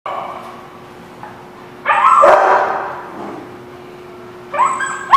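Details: Dog at a place called The Barking Lot, recorded 27 October 2017, gives a loud harsh bark mid-clip and another at the end, with a faint steady hum underneath.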